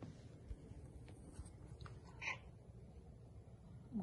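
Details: Three-week-old registered Bengal kittens, born 13 March 2020, playing and exploring at Bengaltime Cattery in Kalama, Washington; a single short, high kitten mew midway, over steady rustling, scraping and a low background rumble.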